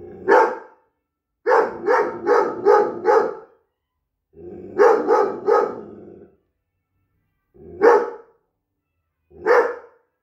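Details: Eight-month-old Briard puppy, described as a natural guard dog, barking in bursts: a quick run of five barks, then three, then two single barks spaced about two seconds apart, loud and clear with silence between.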